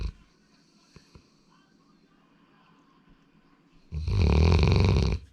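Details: Sora, a male Labrador Retriever born 8 February 2019, snoring indoors: a near-silent room for about four seconds, then one loud, rasping, low snore lasting just over a second.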